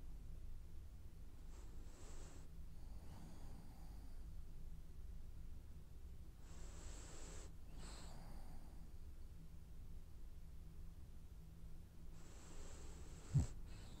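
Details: A French Bulldog snoring while dreaming indoors: soft, breathy hissing snores in long drawn breaths about every five seconds, over a low steady hum, with a brief sharp tick near the end.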